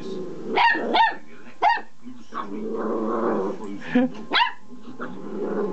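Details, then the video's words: Young dog wound up by a small vibrating pull-cord toy, starting to bark with new confidence; short sharp yappy barks in pairs and singles amid a rumbling growl, with a person talking and laughing. "Oliver's Found His Bark"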